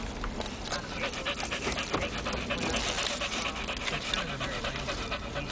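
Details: Rapid, breathy panting from Titan, a German Shepherd rescue riding to the dog park. He has found a bag of Hardey's in the back seat, and crackling rustles run beneath his uneven breaths inside the car.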